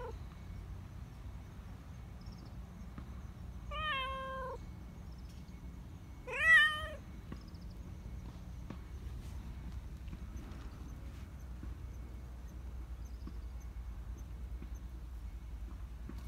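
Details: Black Persian cat, a community cat living in a park in Japan, meowing for attention and affection; two clear harmonic meows about three seconds apart, the second louder and rising then falling, over low steady background rumble.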